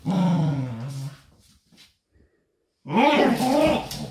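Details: Indoors, the pet dogs Doby and Blue tug at a toy wrapped in a blanket. A throaty growl lasts about a second, then a quiet pause, then a louder, rougher growl burst comes in with some noise of the scuffle.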